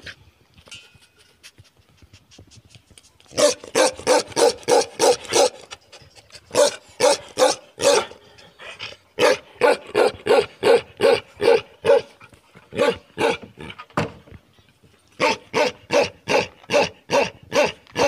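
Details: Himalayan Gaddi dogs, the Gaddi Kutta breed, panting in quick rhythmic breathy bursts, runs of six to ten pants broken by short pauses, steady and even throughout.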